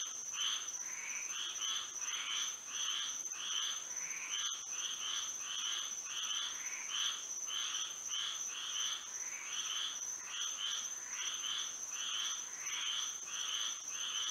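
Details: Frogs calling on a moonlit Florida night, a busy, irregular chorus of nasal buzzy croaks from overlapping individuals, with brief lulls, set over a persistent high-pitched insect whine.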